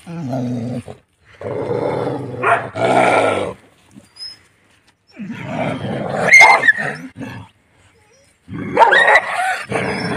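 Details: Desi village dogs meeting, a house dog among them, give throaty growls that break into rough snarls and sharp barks in uneven bursts, with silent gaps between outbursts.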